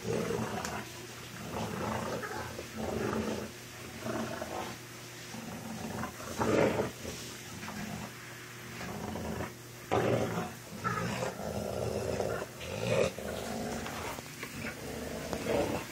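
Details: Fighting dogs, a four-year-old American bulldog named Senna and two-month-old Boston terrier Shaq, growl and snarl in uneven rasping surges, with sharp louder outbursts every few seconds and scuffling noise between them.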